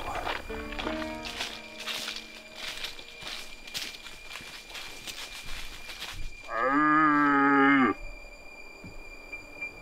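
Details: Red deer stag roaring in the autumn rut near Zirc, Hungary, as hunters follow the sound to stalk it; one loud, harmonic, drawn-out roar lasting about a second and a half near the end, after several seconds of background music.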